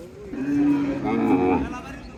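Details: Cattle at a busy village cattle market in Bangladesh during buying and bargaining: one low, drawn-out moo of about a second and a half, steady then wavering at the end, with murmuring people in the background.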